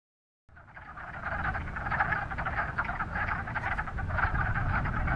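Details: A chorus of male wood frogs floating at the surface of a vernal pond in March, early spring, Northern Virginia, gives a dense mass of low, clucking, duck-like croaks overlapping continuously to attract females.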